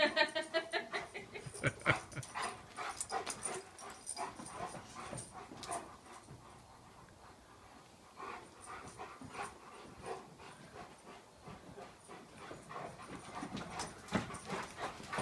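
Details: Two Leonbergers, a two-year-old male named Uzi and an almost four-year-old female named Elsa, meeting for the first time and playing off leash; scuffling play with panting, whimpers and short vocal bursts, many sharp clatters and rustles.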